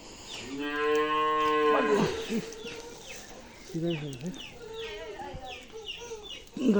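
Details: Holstein Friesian cow during calving on a dairy farm in Bangladesh, bull calf delivered: a long harmonic moo of about one second, steady then falling, followed by people talking in Bengali and further shorter voices.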